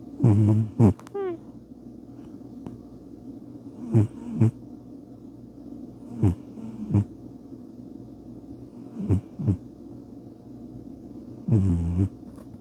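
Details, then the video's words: Bubba, a pet cat, sleeps and snores in a series of short low snorting breaths at irregular intervals of a few seconds, the first and last louder and rasping. "Bubba the Cat - Snoring"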